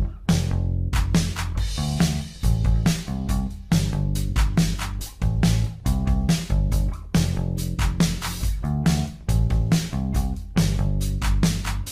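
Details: Loud funk music with driving bass guitar, plucked guitar and punchy drums fills the whole stretch.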